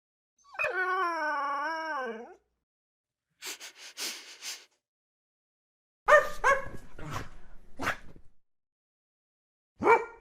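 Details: Dog giving a long wavering howl lasting nearly two seconds, then short scattered yips and sharp barks after pauses, no other sounds.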